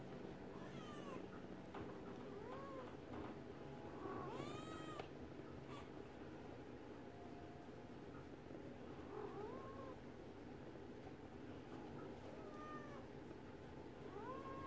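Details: Domestic Shorthair cat up for adoption, recorded January 18, 2021, around 10 a.m.: a series of short, bent, rising-then-falling meows at irregular intervals over a steady low hum of room noise.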